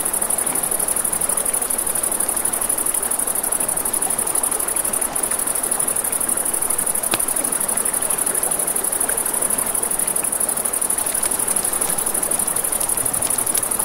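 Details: Crickets chirp in one unbroken high, buzzy pulse at night near a river; the water's steady roar fills the lower range while occasional sharp pops and snaps from a campfire punctuate it.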